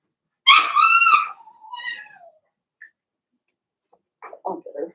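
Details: Cavalier King Charles Spaniel puppy, one of six Blenheim pups in an indoor pen, gives a loud harmonic wailing cry lasting almost a second. A softer falling whine follows, then brief rustling and soft yips near the end.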